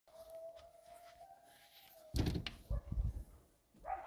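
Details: A coyote in Arizona gives a long, steady, mid-pitched howl, followed by low thumping noises and another rising note; coyote (Canis latrans) howl.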